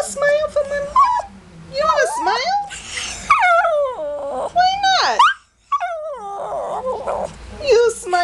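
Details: Pet Shih Tzu complaining about smiling and a bath: drawn-out whines and yowls that slide up and down, with wavering pitch bends and short yelps, in a run of varied talking-like vocal bursts and a brief pause near the end.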